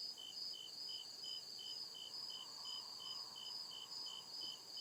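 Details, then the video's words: Crickets chirping at night in deep forest woods: steady high pulsed chirps, a bright trill band pulsing about 140 times a minute over a continuous higher buzz, with a faint murmur of other insects beneath. "CRICKET CHIRPING SOUND"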